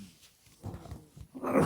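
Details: Sleeping little kitty snoring loudly: a raspy, low rumbling breath in short pulses, then a brief pause and a louder, harsher snore at the end.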